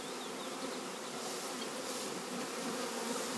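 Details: Dense, loud, continuous buzzing of a honey bee swarm being united with another colony, a rushing hiss that fills the whole range without a break.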